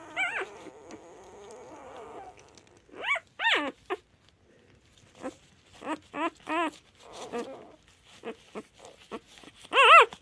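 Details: Two-day-old black-and-white puppy, eyes still closed, uttering short high squeaky cries with wavering pitch, in scattered bursts of two or three, with a quieter drawn-out whine at the start and a loud squeal near the end.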